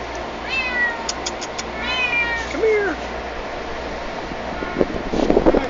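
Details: Stray female kitten in a yard during a feeding, giving several high harmonic meows that rise then fall, one after another, with a lower short mew near the end; a man coaxes her softly and handling noise follows.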